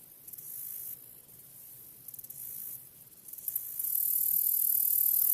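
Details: A black-legged meadow katydid of eastern North America stridulates, rubbing its wings together to make very high, hissing buzzes and ticking bursts.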